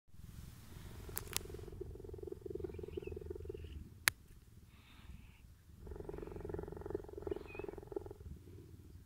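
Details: Captive cheetah enjoying cuddles from a staff member collecting food bowls at the end of the day; two long stretches of deep, steady rumbling purr separated by a quieter pause, with a few sharp clicks and soft handling noise.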